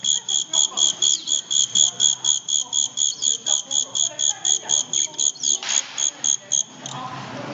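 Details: Pet Chinese giant cricket kept in Xi'an, China, giving shrill, doubled-tone pulsed chirps, about four per second in a steady rhythm, for roughly six and a half seconds before stopping; faint voices murmur in the background.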